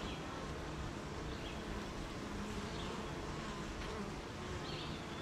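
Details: A rainy-morning beehive full of honey bees gives a constant layered buzz, low and steady, with occasional rising whines of individual bees flying close.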